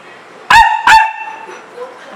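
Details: Two quick, loud barks close together from a pet dog, YY or Zeggy, kept indoors by rain and wanting out to play, followed by faint softer sounds in a quiet room.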